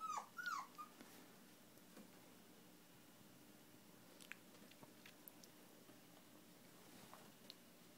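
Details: Shiba Inu puppies from one litter, indoors, recorded on 26 September 2010: a couple of short, high, wavering whines in the first second, then quiet shuffling and faint ticks for the rest.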